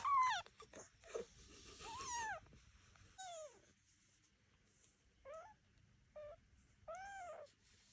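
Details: Devon Rex kittens taking their first walk around a room, out of the birthing box, watched by their mother Elma and an aunt; a series of high, arched, quavering mews, about six calls with short pauses between them.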